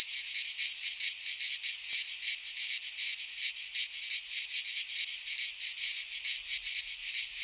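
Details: Midsummer cicada chorus in a pine forest in Greece: shrill, grating high-pitched drone with soft rhythmic swells, constant throughout, no birds, wind or voices.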